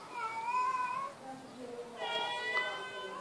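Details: Pet kitten named Mano giving two drawn-out, tonal meows, the first rising and the second starting higher, while a person calls its name.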